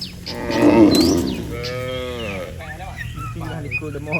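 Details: Cattle, dozens standing in a neat line on a road, calling as if to gather the herd home to the pen; a loud, long moo with a steady stacked tone, then a second lowing call, with small birds chirping behind.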